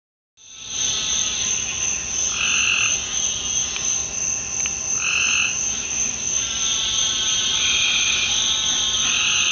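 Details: Nightly frog chorus in a Deep South backyard after a rainstorm: many frogs calling loudly at once, dense high trilling with repeated pulsed bursts overlapping steadily, a constant wall of sound.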